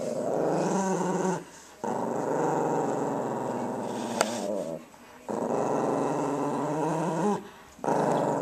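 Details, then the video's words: Pet female Tibetan Spaniel growling while guarding her toy indoors: long rough rumbling growls lasting about a second and a half each, separated by short pauses, with harmonic stacks shifting in pitch as the growl rises and falls. "Mad Tibetan Spaniel"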